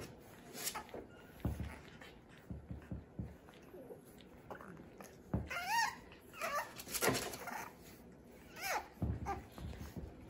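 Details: Playing French Bulldog puppies, babies of Fanya and Meena, give short high whimpers and yelps with wavering harmonic tones, mixed with thumps and scuffling of play and low background noise indoors.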